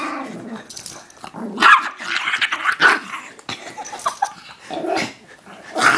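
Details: Koda, a pet chihuahua, grumbles after being interrupted while relaxing: rough, uneven growling in overlapping bursts, with sharper yip-like peaks near two and three seconds and a louder grumble at the close.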